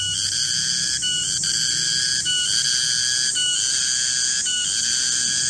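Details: In a garden at midday, a garengpung cicada sustains a piercing, tonal buzz, interrupted by quick dropouts near each second, with a soft low hum underneath.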